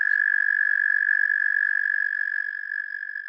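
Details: Eastern American toad, a male, trilling in Pennsylvania; one sustained, even, high-pitched purring trill fills the whole stretch without a break, slowly fading toward the end.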